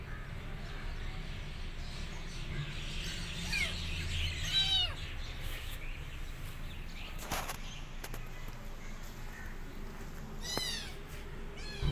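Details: Kitten following her rescue, uttering a quick cluster of thin, wavering downward meows midway and another brief cry later, against persistent low background hum and occasional knocks.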